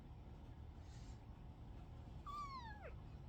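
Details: A kitten gives a single meow that starts high and slides steadily downward over about half a second, with a soft low background rumble and quiet talk around it.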